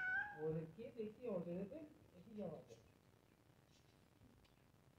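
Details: Two cats; a short bright meow opens, followed by several lower, wavering mews and chirpy calls over about two seconds, then near quiet with faint background noise.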